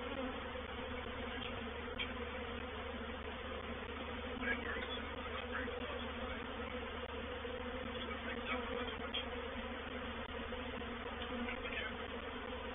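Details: Honey bees of a reproductive swarm moving into a swarm trap at Painted Peacock Manor, 04/07/21, produce an unbroken thick buzzing drone with layered low tones and faint higher flickers of passing bees.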